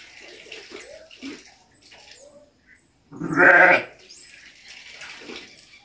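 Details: Bleating ram gives a single strong, rough, quavering bleat midway, with faint scattered farmyard noises and soft scuffles before and after.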